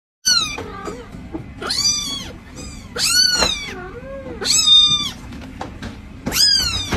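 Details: A cat gives a series of high, arching meows roughly every second, some short and bright, one lower and drawn out, over a steady low hum.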